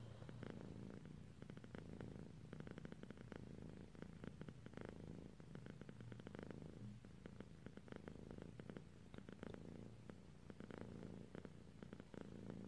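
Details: Drowsy pet cat dozing off, her continuous low purr thrumming with regular breathing pulses, rising and falling gently over several seconds in a quiet room.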